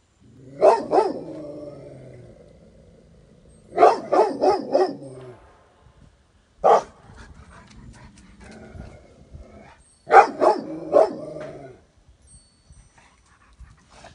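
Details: Rottweilers bark at a weather vane: deep, sharp barks in bursts of two to four, separated by short pauses.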